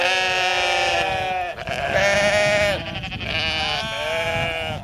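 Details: Attacking sheep letting out long, trembling bleats, two drawn-out nasal cries each lasting over a second, with a slight dip in pitch at their close and a brief gap between them.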